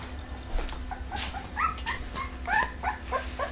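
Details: Whimpering Pembroke Welsh Corgi litter A, Preberry kennel, parents Image Čičiko and Danny Toivu My Delight: loud overlapping squeals and whines, some bending up then down, in a dense cluster, with soft rustling and a constant hum.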